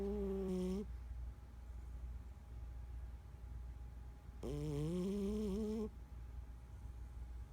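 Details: A 14-year-old domestic cat snoring in sleep: two drawn-out nasal tones with stacked harmonics, the second longer and slightly rising, over a steady low hum and quiet breathing between them.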